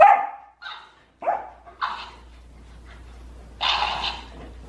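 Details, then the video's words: Pet Golden Retriever in a noisy spat with the family's hamster: a string of short, clipped barks about half a second apart, a pause, then one longer, louder rasping bark. "我家金毛和仓鼠吵起来了 场面有点失控"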